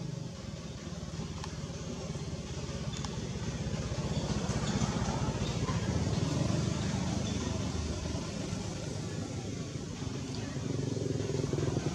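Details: Steady engine and traffic rumble with faint speech and no animal sounds.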